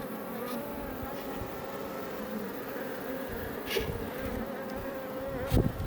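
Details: Iberian honey bees (Apis mellifera iberica) outside a Langstroth hive near Roquetes, south Tarragona, Catalonia, Spain, fill the air with a steady, low droning hum from many wings at once.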